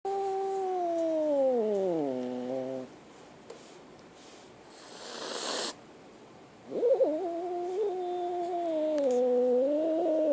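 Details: Scared kitten giving long drawn-out yowls: a harmonic cry sliding downward and fading near three seconds, a pause with a brief rustle, then a wavering sustained wail rising and dipping for several seconds.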